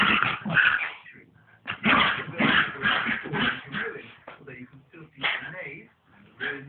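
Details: Two pet dogs play fighting, harsh bursts of barking and snarling coming in quick irregular volleys, with short gaps and a softer, higher yip-like stretch near the end; sound is muffled and low-fidelity.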